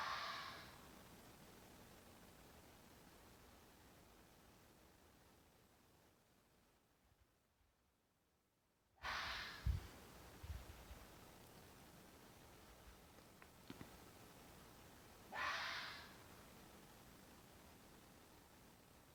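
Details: Fox screaming in mating season: three hoarse, breathy cries spread across the recording, separated by long quiet stretches, with a few low knocks and clicks near the middle.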